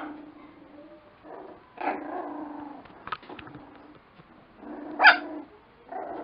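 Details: Playful Lakeland Terrier puppies growling low and steady, broken by a few high yips and one louder sharp bark near the end, with soft thumps of movement between bursts.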